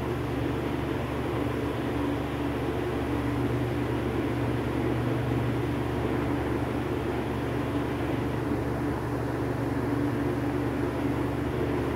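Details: A constant engine-like drone with a low steady hum runs throughout, with no animal calls.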